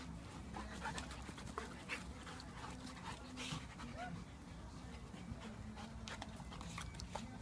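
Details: In a garden, one-year-old Labrador Myla plays rough with Blade the Japanese Akita; fast, breathy panting and sharp huffing bursts run steadily across the clip over a low droning hum.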